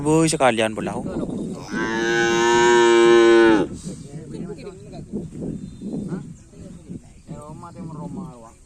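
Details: Cattle at Karapan Sapi bull race training on the Asemanis field in Pamekasan: a loud, steady, harmonic moo lasting about two seconds, preceded by a short bleating burst and followed by murmuring voices and background noise.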